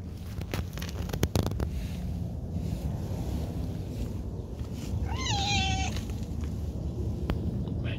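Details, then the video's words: Cat being petted gives one short meow about five seconds in, rising then falling to a long level tail, over steady low rumble and scattered handling clicks. "petting a cute cat"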